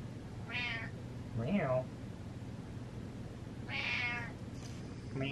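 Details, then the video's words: Pet cat calling indoors with repeated meows: a short high meow, a lower wavering one, then a longer bright meow, spaced a few seconds apart over a low room hum. "Cat Meows With A Purpose"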